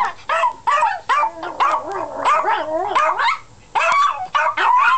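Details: Pet dogs howling together: wavering, tonal howls that slide up and down, broken by short sharp yips and bark-like bursts, with several voices overlapping.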